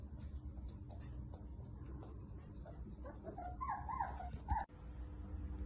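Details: Six-week-old Toy Poodle puppies around feeding time while their mother sleeps; soft high wavering whines and whimpers rise near the end, over a steady low hum and background noise, cut by a sharp click.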